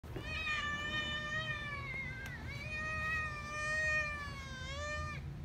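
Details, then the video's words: Domestic cat giving one long meow, starting small and ending strong. The steady, tonal call lasts about five seconds, with a slight dip midway and a rising swell near the end, over faint room noise. "long meows"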